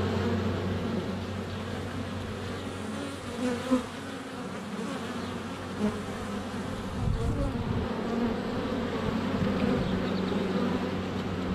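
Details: Honey bees flying at the hive entrance on a sunny February day, filmed with a GoPro Hero 7 Black less than a foot away; steady low hum with occasional louder thumps as bees land on the camera.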